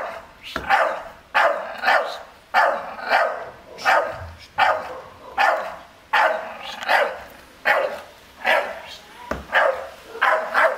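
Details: Guarding its garden from an unfamiliar, unmasked man, a Staffordshire Bull Terrier barks in a fast, insistent series of gruff barks, often in doubled bursts, continuing without letup; this normally quiet breed barks when it senses danger.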